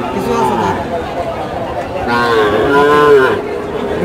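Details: Improved-breed bull calves lined up for sale at Chowbaria cattle market, Manda, Naogaon, recorded 28 September 2018. One drawn-out, bleating moo rises and falls over about a second, amid constant crowd chatter and voices.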